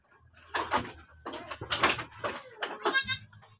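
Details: Goat on a farm that has given birth again, bleating in several short, rough bursts about a second apart, ending with a higher, wavering, harmonic bleat, over faint low background noise.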